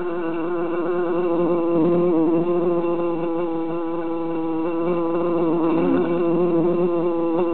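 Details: Steady loud buzzing from three bees confined in a jar during summer, a layered hum of several wavering drones that swell and dip gently in loudness throughout.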